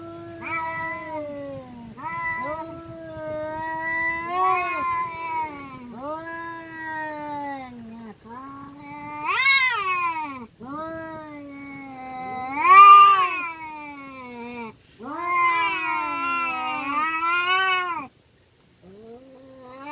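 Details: Village cats fighting, one producing a long string of moaning, wavering yowls that rise and fall in pitch, with sharper rising cries near the middle and a brief pause before a final low growl.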